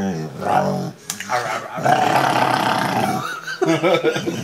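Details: A female Rottweiler talks while being cuddled, grumbling and moaning in drawn-out, wavering tones, with a person speaking softly nearby.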